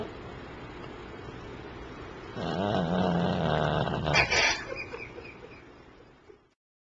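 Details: Jack, a sleeping pet Pomeranian, snoring loudly: one long, low, rasping drawn breath with a buzzy rattle that swells, then breaks into a brief brighter snort and fades away to quiet.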